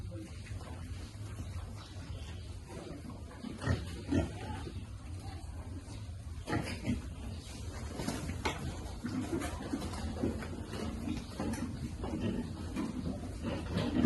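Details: Piglets being fed: low, rough grunting with scattered sharp, clicking bursts of eating sounds, at a fairly quiet level over a steady low hum.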